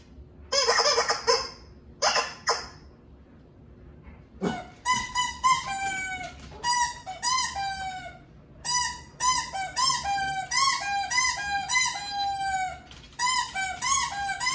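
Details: Winston, a Shih Tzu/Pekingese dog, vocalizing while watching TV indoors: noisy bursts, then a long run of high, squeaky, rising-and-falling yelps in quick clusters.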